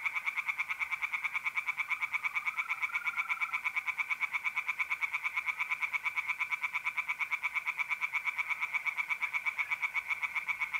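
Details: Pond tree frogs calling on a mid-April night in North-East Italy. A dense, fast rattle of pulsed croaks continues for the whole stretch, with a fainter steady mole cricket trill underneath.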